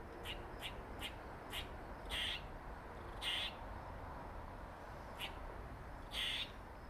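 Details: A squirrel with a dark mark on its face, thought to be related to another resident squirrel, gives short sharp clicks and longer raspy, hissing squeaks at irregular intervals. Squirrel.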